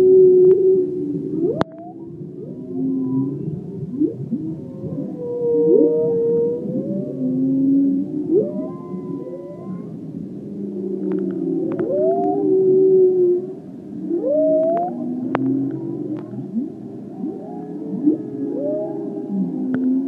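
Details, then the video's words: Humpback whales off Maui, recorded 27 January 2016, make overlapping moans and rising whoops in a steady, eerie underwater stream; these are communication and navigation vocalizations, not song. "Whale Pix Slideshow and Vocalizations recorded on 1/27/16"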